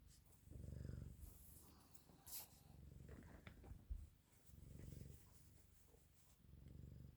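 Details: Canadian Sphynx cat bundling up to get warm, purring in low rhythmic rumbles that swell and fade with each breath, three clear purr phrases with soft rustling between them.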